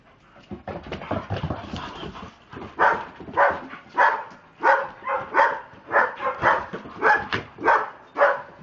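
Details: Two pet Dobermanns acting crazy. After a scrappy, muffled opening, loud barks come in a rough, uneven series of about one every half second, each punchy and mid-pitched.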